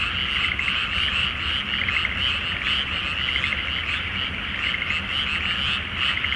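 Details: Frog chorus at night in a flooded rice field before planting, under a full May moon in Japan; dense overlapping croaks form a continuous rattling wall of sound, with a faint low hum beneath.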